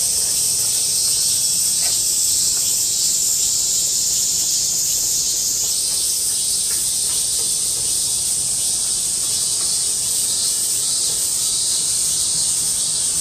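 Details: Many cicadas in a loud chorus in August 2008: a dense, unbroken high shrill buzz that holds steady, with its pitch stepping slightly lower about halfway through. No other clear sounds.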